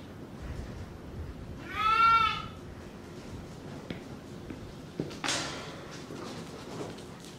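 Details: Angora goat on shearing day: one wavering bleat near the start, then clatter, knocks and a burst of noise, with faint background sounds.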